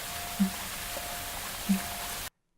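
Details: A vocalizing fin whale, recorded offshore near southern New England wind turbines, gives two brief, low thumping pulses about a second apart over a steady broadband underwater hiss, cutting off abruptly; the fin whales were louder than the turbines.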